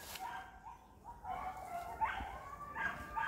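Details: Indonesian village dogs chasing wild boar on a hunt, baying in drawn-out, wavering howls with a few short yelps, several dogs overlapping, with faint voices of hunters in the background.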